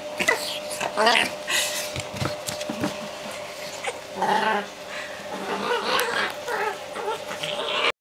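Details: Japanese Chin, a male dog, playing and producing odd noises: snorty grunts and short whiny, goat-like bleats, with human voices and laughter mixed in and a constant low hum behind.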